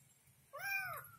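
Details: Kitten confused and searching for its mother: one clear, rising-then-falling meow of about half a second, rich in harmonics, following quiet indoor background.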